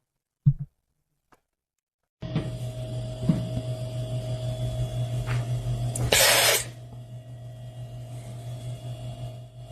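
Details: Indoor room with a couple of soft knocks, then a steady electrical hum and a short hissing burst, with no animal voice.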